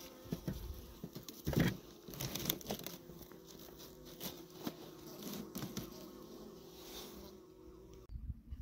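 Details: Honey bees in an apiary hive opened for a February inspection of the candy feed cake: a steady low droning hum runs beneath crinkling, tapping and handling noises, ending in a brief silence and a few clicks.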